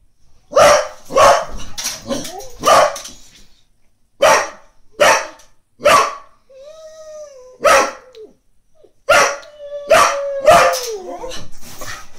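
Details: Female Brittany barks at the cat next door dozing on the lawn, working to wake her: bursts of sharp barks broken by pauses, with high, wavering whines in between.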